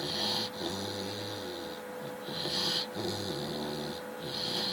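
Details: Sleeping Chow Chow giving long, rattling snores about every two and a half seconds, each drawn-out breath buzzy and nasal with a hissing upper edge, set against a steady faint hum.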